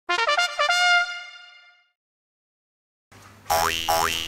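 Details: A short brass-like musical sting with boing effects, a pause, then rising electronic sound effects; no animal voice is heard.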